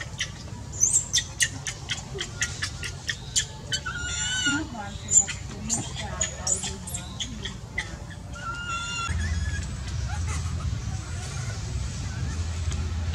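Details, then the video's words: Hungry baby monkey crying for milk and for its mother: short high harmonic squeals near four and nine seconds, amid many sharp clicks and taps and a low rumbling background. "Very hungry..!! Poor baby cries need milk cries need mom take care, Baby monkey daily life"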